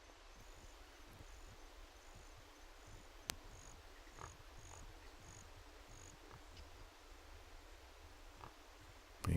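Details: Wild hogs, including a sow with piglets about a week old and a boar, grunt low and soft in short, irregular bursts at a game feeder in April 2015, with a sharp click and faint insect hum behind.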